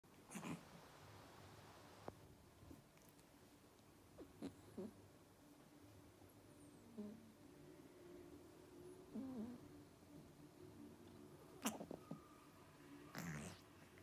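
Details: A Persian cat makes low, pig-like grunts and snorts in short bursts while playing, with quiet pauses between.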